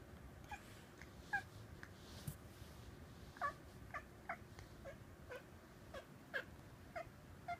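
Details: Indoor cat watching birds outside a window, seemingly imitating their calls: short, clipped chirps and trills repeated irregularly, roughly one every half second to second, in a quiet room.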